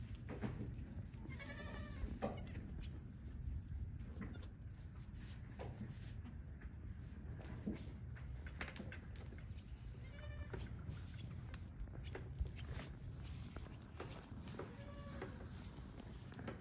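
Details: Registered pygmy goat newborns meet the herd on a farm in Knoxville, Tennessee, USA; high, wavering kid bleats come in a few separate bursts, early and again midway and near the end, against steady low background noise.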